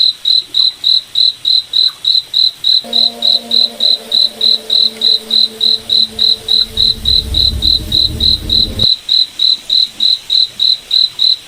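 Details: Rhythmic high chirps of a cricket in a moonlit night forest, evenly spaced at about three and a half per second, with a banded low drone and a deep rumble swelling mid-clip before cutting off.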